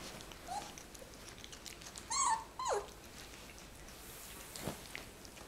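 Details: Pet fox AlfRed, celebrating his second birthday on 22 April 2018, indoors: two clear harmonic whines close together, the first wavering and the second sliding steeply downward, then a faint squeak, over a quiet room background.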